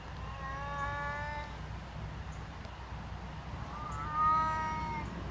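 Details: Deaf domestic cat meowing: two drawn-out harmonic wails, one near the start lasting over a second and another around four seconds, over steady low background hum.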